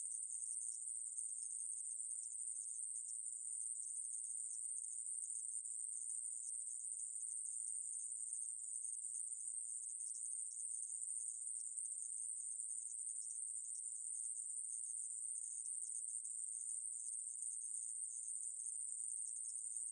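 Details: Aemaeburi conehead katydid, a 2020 recording from Korea's National Institute of Biological Resources: an unbroken, steady, very high-pitched buzzing drone that holds the same shrill tone for the whole stretch, with no pauses and no other sounds.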